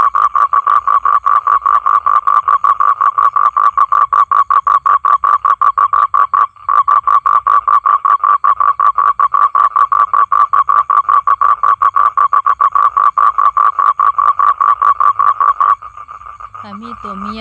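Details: Male toad calling for females to come and mate, a loud, continuous buzzing trill of fast even pulses held for about fifteen seconds, with a tiny gap midway and a man's voice coming in at the end.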